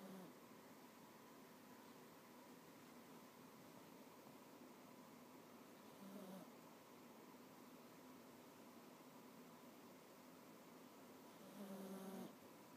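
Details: Pet cat asleep on its owner's lap, snoring quietly: two faint, brief low hums about six seconds apart, barely above a constant room hiss.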